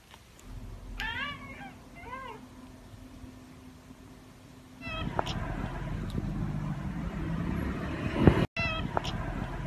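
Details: Pet tabby cat making two rolling, trilled chirps that bend up and down, followed by louder background rumble and a few faint chirps near the end.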